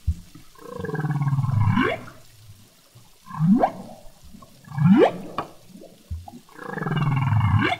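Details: Male humpback whale song recorded underwater in the Revillagigedo Archipelago Marine Reserve, low moaning groans alternating with sharp upswept whoops; this population's song is continuously evolving.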